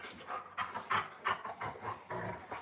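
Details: Two Alaskan Malamutes playing together outdoors, heard in a burst of rough, breathy panting pulses with short whining and squeaky vocal bits, about three or four per second, while a person nearby talks to the dogs.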